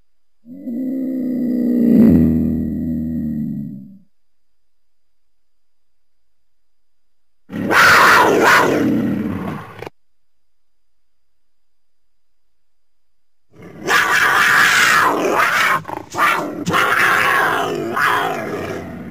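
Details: Cougar, a large wild cat of the Americas: a long, low, harmonic moaning growl swelling for about three seconds, then after a pause two harsh, breathy hissing bursts with raspy texture.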